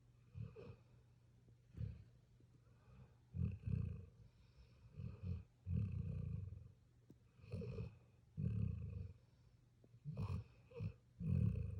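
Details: Sleeping puppy snoring, low rumbling breaths in irregular bursts about every one to two seconds, each with a raspy buzzing edge, quiet pauses between.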